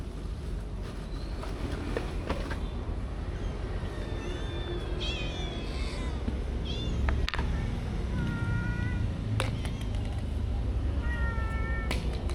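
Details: Stray cats living around the stalls and alleys of a local market, being fed; several thin, drawn-out meows with rising and falling pitch over a heavy wash of market noise and a few sharp clatters.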